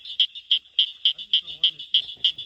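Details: A cricket frog in southern Georgia gives sharp, high clicks repeated about three times a second, like pebbles tapped together; several cricket frogs calling near mating barking treefrogs.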